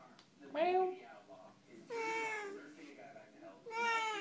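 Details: Chatty Siamese cats Max and Caesar at bedtime indoors: three meows about 1.5 seconds apart, the first short and rising, the next two longer and steady. A person's voice comes before and after.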